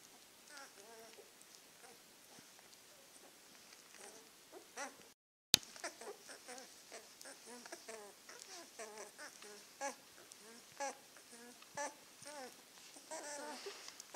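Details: Nine-day-old Czechoslovakian wolfdog puppies from the 2016 Heaven & Baron litter, each near 1 kg and moving about more, give many soft, quick, high squeaks and whimpers that overlap in a faint, busy chatter, broken by a brief silence partway through.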